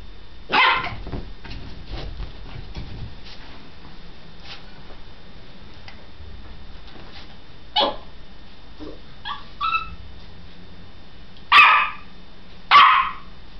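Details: A dog full of energy, running around and barking: a few sharp, loud barks spread over about thirteen seconds, with short higher yelps in between and a quiet background.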